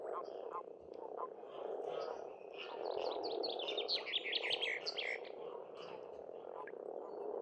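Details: Frog chorus at a spring pond on an Estonian farmstead: a dense, continuous mid-pitched croaking roar with no gaps, while songbirds add bright, rapid trilled phrases above throughout.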